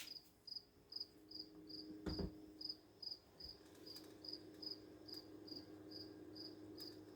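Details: A cricket, heard outdoors near an open door, gives high, clear chirps repeated steadily about twice a second over a low hum. It has chirped steadily for about three days and stops if approached.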